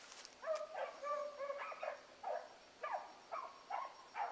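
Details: Blackcreek hound pups on a morning rabbit chase, Ringo picking up the line. Clear, evenly spaced bays, a few longer drawn-out howls then shorter choppy cries, ring out with a crackle at the start.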